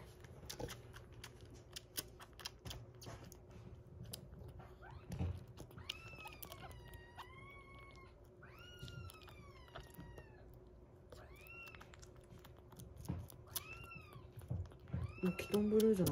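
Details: Talkative rescued kitten, 47 days old, indoors while littermates eat weaning food and a baby cat drinks milk; a run of about eight short arched meows, some rising then falling, spaced roughly a second apart, with chewing clicks and taps.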